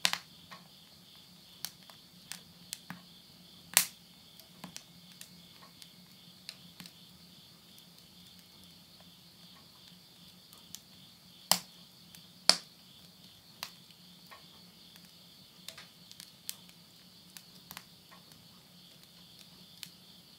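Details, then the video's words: Steady high insect chorus on a September 2020 midnight in rural Tottori, Japan, overlaid by irregular loud cracks and pops of wood burning in a stove, roughly one a second. "the voice of insects"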